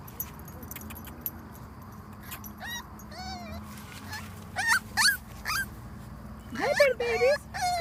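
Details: Dachshund mix puppies from a January 2014 litter, mother a possible Dachshund-Chihuahua mix and father a long-haired Dachshund, giving high thin whimpers and squeaky rising-falling cries in short bursts, with quiet background hum.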